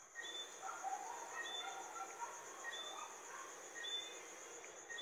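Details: Johnstone's whistling frog (Eleutherodactylus johnstonei), a small, mainly nocturnal frog: short, high, rising whistled notes repeated irregularly about once a second, over a steady high insect-like drone and softer lower chirps.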